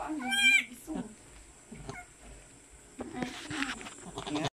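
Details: A newborn kid's first moments after its mother, a pet goat, gives birth on a rural farm in the Philippines: one high, quavering bleat at the start, then quieter rustling, soft human voices and faint background hum.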